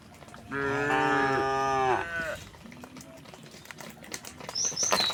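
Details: A cow in a large herd walking calmly along a rural road to its resting place; one long, rich moo of about one and a half seconds, then quieter murmurs, clicks and a brief high bird chirp.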